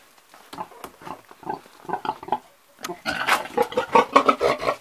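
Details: Old pig giving a string of soft, husky grunts that build into a louder, rapid burst of snuffling grunts and snorts, each brief and rasping, one after another without pause.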